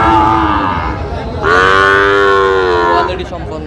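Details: Sahiwal bull calves, part of 32 bought by a Barisal farmer at a cattle market on 23 June 2025; a short bawl, then a longer, steady, fairly high-pitched harmonic moo lasting about a second and a half, with faint market noise.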